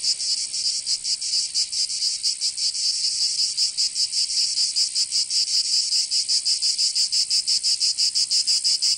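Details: Cicadas singing in summer in Provence, southern France: a dense, high, hissing buzz that throbs in loose, uneven pulses, with no other sounds.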